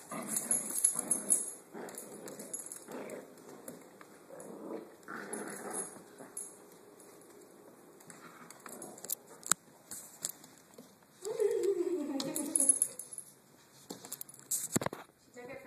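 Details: Korean Jindo playing tug of war with Little Fozzy, a Dachshund-papillon mix described as vicious; repeated rough growls and snarls, then a whining yelp that slides downward, with thumps and scrabbling of the tussle throughout.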